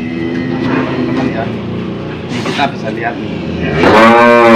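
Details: Old, tough cow having a nose rope fitted, giving a loud, drawn-out harmonic moo that swells and bends in pitch near the end, after a stretch of people talking over a low rumbling background.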